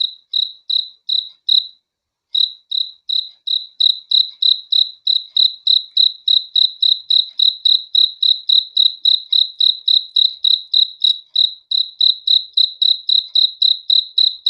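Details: A cricket calls at night with rapid high chirps, roughly three or four a second, pausing briefly near the start before resuming in a long even series; nothing else is heard.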